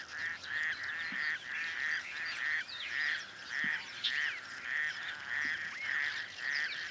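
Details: Male raucous toad calling hidden in the reeds of a small dam on the outskirts of Cape Town, breeding by day or night: rasping, pulsed croaks repeated about every half second in a steady chorus-like series, with faint chirps behind.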